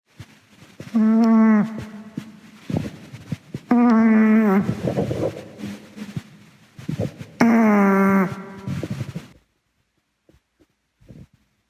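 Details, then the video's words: Gaeborin, a sleeping female Boston Terrier born November 2016, a brachycephalic breed, snores indoors: three loud, nasal, harmonic-rich snores about one second each, near two and a half seconds apart, with quiet rustling between. "강아지 코골이"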